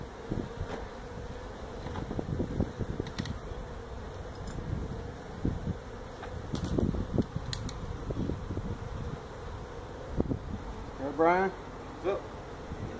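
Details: Honey bees from a feral colony nesting in a tractor tire at a citrus orchard in Mission, Texas, droning continuously as the hive is removed; low even hum, occasional clicks and knocks, a brief human voice near the end.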